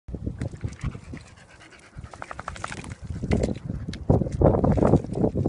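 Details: Two Staffordshire bull terriers getting muddy; one pants in quick, rough, breathy bursts amid soft splashing and wet sounds.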